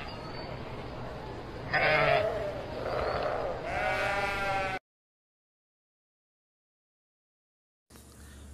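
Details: Sheep bleating: a few wavering, quavering bleats rich in overtones over about three seconds, then several seconds of silence before a faint low background sound returns.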